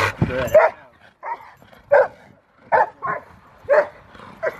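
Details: Rottweiler at a Victoria Rottweiler Club event on February 15, 2020, giving short deep barks repeated roughly every half to one second, with some human voices in the background.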